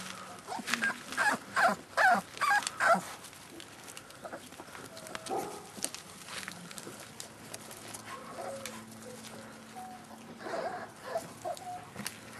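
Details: Staffordshire Bull Terrier puppies aged 38 days, litter K of Staff Komas kennel, recorded 20.09.2010: a quick run of sharp, bright yelps in the first seconds, then softer squeaks and scattered knocks.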